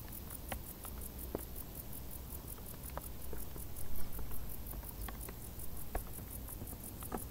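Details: A chorus of crickets in hot summer tall grass, thin high pulses repeating rapidly and evenly, with scattered clicks, a brief swell of louder rustling midway, and low rumble.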